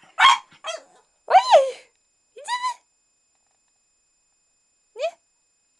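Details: Shih Tzu Tofik reacting to the question of a walk: a sharp bark, then rising, yelping whine-barks with a harmonic, pleading tone, a pause, and a final short yip.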